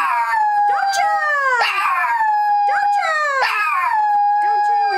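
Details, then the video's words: Pet dog playing with packaging on its owner's bed, "singing" in repeated high howls that start with a rising swoop and slide down to a long, steady tone, about three howl cycles. "Dog Having Fun and Singing on Mommy's Bed"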